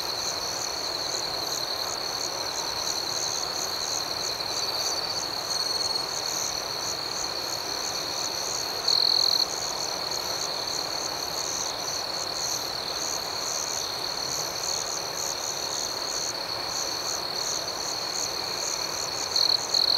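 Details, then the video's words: Crickets at night keep up a dense, shrill trill with quick pulsing above it, broken by a few short louder notes near nine seconds and at the end. "Soothing Cricket Sounds"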